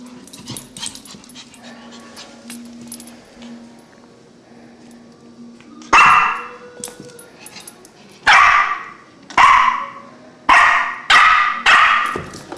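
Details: Puppy named Barkley, a family pet at home, quiet at first amid soft household sounds, then breaking into six sharp, bright barks in the second half, spaced about one second apart.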